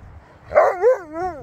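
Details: Siberian Husky named Sherpa talking with its owner: a rising then wavering, yodel-like howl of about one second, two bending tonal swoops following a brief louder start, with quiet speech before and after.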